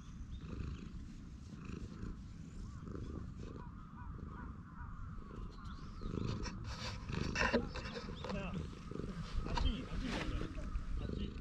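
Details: Stray cat relaxing on a bench, purring with pleasure while being stroked, filmed on a GoPro HERO8 Black; steady low, throbbing rumble runs throughout, with rustling handling noise and brief sharper sounds toward the end.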